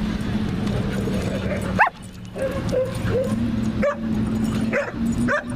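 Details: Playful German Shepherd puppy in a St. Louis dog park wrestling, producing a few high, rising yelps and short yips spaced about a second apart, over a constant low droning hum and outdoor ambience.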